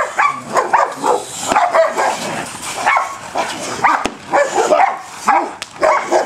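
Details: Male German Shepherd, a client's dog, during bite work training, giving a run of sharp, harmonic barks in quick bursts, roughly two every second, with short gaps between.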